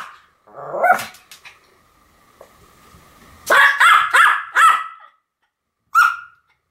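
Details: A pair of Pomeranians, Sam and Marin, duet-barking: one drawn whining bark, a pause, then a quick cluster of four shrill yaps and a final single bark.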